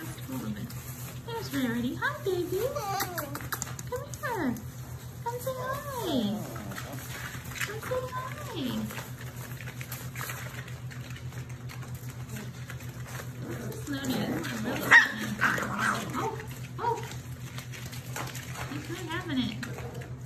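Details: Mixed German Shepherd, Labrador and Rottweiler puppies in a litter, crying with repeated rising-and-falling whines in quick bursts, then quieter squeaks later on, indoors with a constant low hum and some speech.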